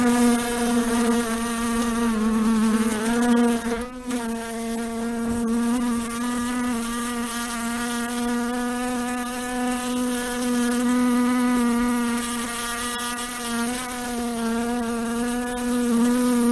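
A housefly buzzes steadily, a low droning hum with a rich, nasal tone that wavers slightly in pitch.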